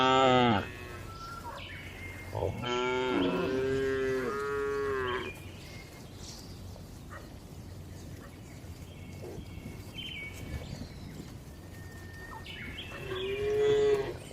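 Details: Tame cows relaxing inside a spacious farm barn give long, deep, harmonic moos, several in a row, with a quieter background hum.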